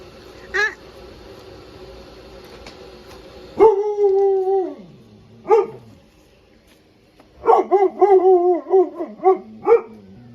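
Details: Husky/Malamute dog named Blizzard barking and howling at pool toys outside: a sharp yip, then a long sustained howl dropping in pitch, a single bark, and a rapid run of wavering, yodelling howl-barks.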